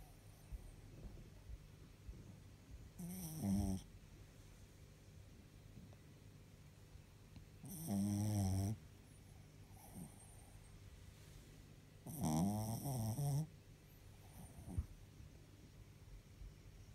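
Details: Sleeping pet Chihuahua snoring: three rough, rasping snores, each about a second long and spaced roughly four to five seconds apart, over a quiet indoor background.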